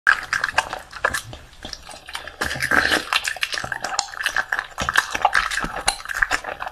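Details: Bully dog. A bully dog eats raw food, its chewing a steady run of wet smacks, crunches and sharp clicks. The bursts come quickly and unevenly, with brief pauses between mouthfuls.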